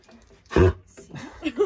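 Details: Dog bark as a golden retriever puppy meets a huge Rhodesian Ridgeback: a single short, deep, loud woof, followed by quieter human voices.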